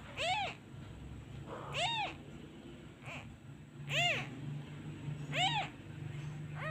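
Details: Crying abandoned kitten, longing for his mother, calls out when a hand is withdrawn: about six piercing meows at uneven intervals, some loud and arched, a couple softer and shorter, over a steady low hum.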